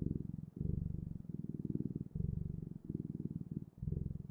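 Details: A purring cat heard up close, a coarse low vibration rising and falling with each breath, about six cycles in four seconds.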